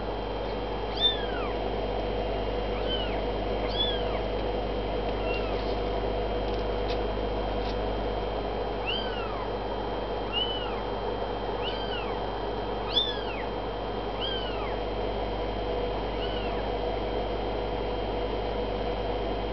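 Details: Kittens 26 days old, indoors, give thin, high-pitched arching mews, singly and in small clusters every few seconds over a steady low hum and hiss.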